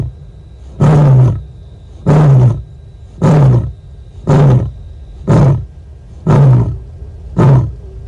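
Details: Lioness at Nkorho, South Africa, moaning in search of contact with other lions, 30 September 2021, livecam recording; seven short, deep grunting moans in a steady rhythm of about one per second, with a quiet background.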